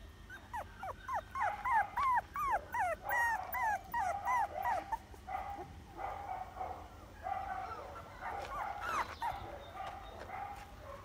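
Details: Puppy giving rapid, high, squeaky whining cries with wavering, bent pitch, repeated about three times a second for several seconds, then softer, more muffled whimpers.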